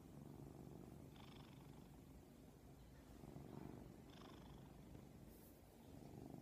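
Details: Domestic cat purring while asleep on a lap: a soft, continuous low rumble with gentle rhythmic pulsing, faint and steady throughout, with a few light rustles.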